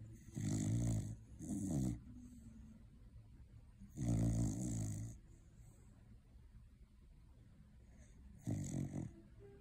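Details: Cocker spaniel Beauregaurd snores in deep, rumbling bursts, each breath a low rasping drone, after a long day of eating Christmas turkey.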